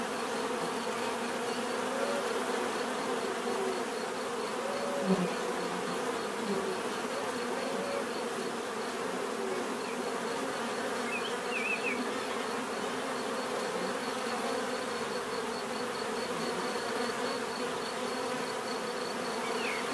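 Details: Bees buzzing in a steady, dense drone with many overlapping wingbeats, a continuous low hum with a thin high whine above it, no pauses throughout.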